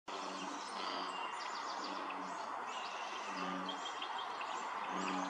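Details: American bullfrogs in a chorus at Dellinger's Pond, Quincy, California, on 27 June 2023 give deep, droning notes every second or so, with small birds chirping above.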